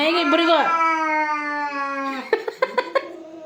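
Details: Fighting domestic cats: one long, steady, nasal wail held for about two seconds, followed by a few short clipped sounds.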